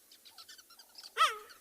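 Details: A male cheetah in a South African game reserve, on an afternoon of 11 March 2021, gives a sharp, bird-like chirp. It is a contact call to locate his coalition partner, his brother, and it risks attracting predators.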